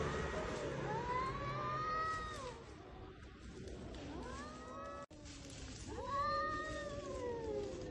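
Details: Stray cats in a spring fight, a showdown between rivals: drawn-out, wavering yowls that bend up and down in pitch, one long wail, a short dip, then a rising, rasping howl, over steady background noise.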